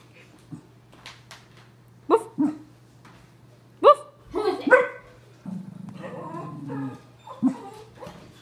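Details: Pug and Cocker Spaniel cross, too lazy to get off its owner's lap, gives several quick barks and yips in a cluster, mixed with a man talking excitedly nearby.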